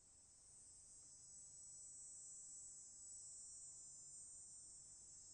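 Cicadas give a continuous, high, shrill buzz that holds steady without pause.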